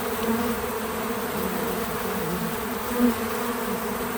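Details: Constant humming of bees at a feeder, natural outdoor sound without music; the low buzz stays steady, with one nearer bee briefly swelling louder around the three-second mark.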